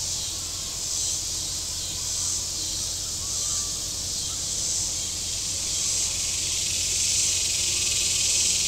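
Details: On a very warm day at Table Rock Lake in southern Missouri, cicadas along the shore buzz in a dense high chorus that gently swells and fades, with a faint low drone and a few soft chirps underneath.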